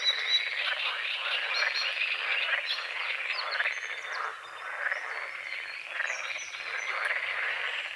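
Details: Morning frogs on a small lake beside a forest at dawn: a busy, grating chorus of fast repeated croaks, dipping briefly midway, then building again, with scattered high bird chirps over it.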